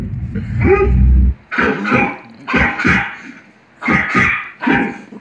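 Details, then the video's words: Buster, a pet dog, barks back at dogs barking on television; a long low rumbling growl opens, then sharp barks come in two quick bursts separated by short pauses. "Buster barking at dogs barking on tv"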